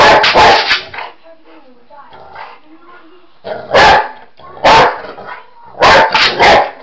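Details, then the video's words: Boxer dog, a pet fond of chasing shadows and flashlights, lets out a quick run of barks, falls quiet with soft murmurs and a person talking, then barks again in loud clusters. "Talking boxer dog."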